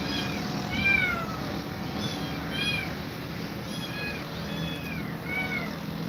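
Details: Cat scared of two mother cats: a rapid run of short, bright, arching meows, roughly one every half second to second, with steady background hiss.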